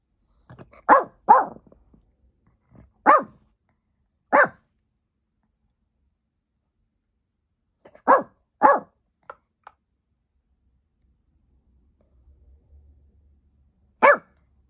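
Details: Peanut, a pet dog, barking at nothing in April 2023, recorded on an iPhone: loud, sharp single and double barks in bursts, with pauses of several seconds between clusters and a final lone bark.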